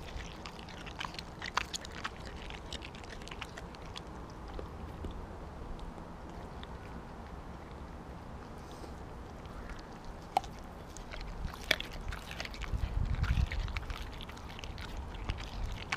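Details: Kobi, a Siberian Husky, eats a whole raw mackerel in one go instead of his usual smaller chunks; scattered sharp crunching and crackling clicks of chewing over a low steady rumble, with a heavier thumping burst near the end.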